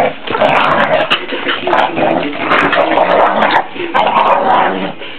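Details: Pit bull dog giving loud, harmonic whining and yelping sounds in bursts of about a second, with brief pauses between, across five seconds.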